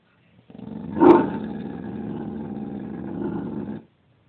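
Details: Pet dog named Lilly 'talking' in a low grumbling growl after people walked by. A louder rough onset near one second gives way to a steady, harmonic, rumbling drone lasting about three seconds, then stops abruptly.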